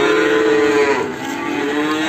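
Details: Limousin calf recorded on a morning at Ambarketawang, Sleman; a loud, steady moo of about one second breaks off, then a second lower, quieter moo follows.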